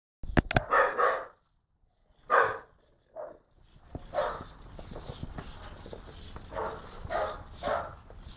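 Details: Jock, a dog around 10-11 months old, barking at birds and at the person recording; sharp barks at first, then a busier stretch of repeated barks over background noise, with a neighbour's Staffy also set off.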